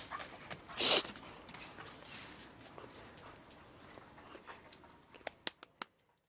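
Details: Irish Wolfhound named Roisin giving one sharp, loud, bright bark near the start, followed by quiet room sound with a few soft taps and clicks toward the end.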